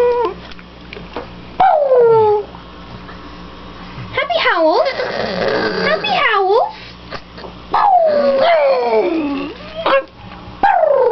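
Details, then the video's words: Victoria, a pet dog, howling in happy greeting as her owners come home; wavering, bending howls slide from high to low, with sharp yips between them and human speech in the background. "Victorias Happy Howls"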